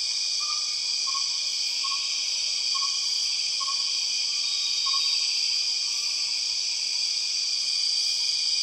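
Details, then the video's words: Empress cicada in the Borneo rainforest: a loud, steady, high-pitched droning hiss in several layered bands, unbroken throughout, with a faint series of short whistled notes repeating about every second underneath. "The weird sound of empress cicadas"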